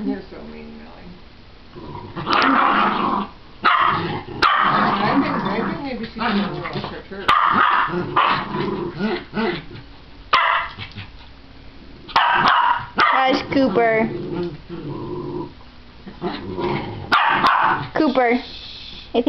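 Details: Two playful pet dogs, a barking shih tzu/pomeranian mix and a growling miniature schnauzer that wags her tail, are friends at play. Sharp barks come in bursts over rough, continuous growls, with short quiet gaps between the noisy stretches.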